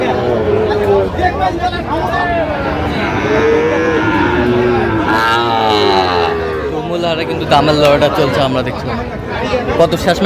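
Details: Sahiwal bull calves at the Aftabganj cattle market on 16 August 2025, where Dhaka farmers buy stock. Drawn-out, wavering lowing moos rise and fall through the middle seconds over steady crowd chatter and bargaining voices.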